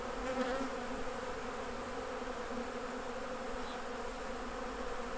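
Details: Steady low droning hum of honey bees at their hives while honey is being harvested. Even and continuous, with no single bee standing out and a faint airy background hiss.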